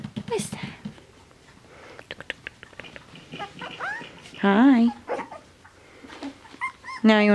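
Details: Two male Finnish Spitz puppies, four weeks (28 days) old, playing indoors; short high whining yelps rise and waver around 4.5 seconds and again near the end, with a man talking to them throughout.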